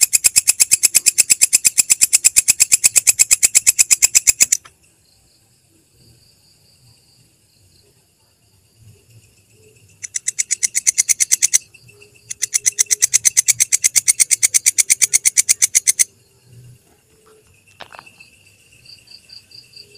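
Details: Belalang kecek grasshopper recorded as masteran for training songbirds: bursts of rapid, dry, buzzy clicking pulses in a steady rhythm, three long trains separated by quiet gaps with faint background rustling.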